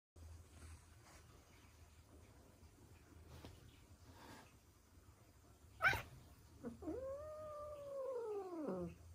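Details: A resident Ragdoll cat attacks a newly arrived cat in a one-sided fight, giving a sharp hissing spit and then a long, wavering, drawn-out aggressive yowl.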